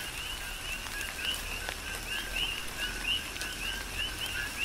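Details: Coqui frogs chorusing during a tropical rain shower on the Big Island of Hawaii: repeated short two-part notes, the second rising and whistled, from several overlapping callers, over a steady hiss and patter of rain.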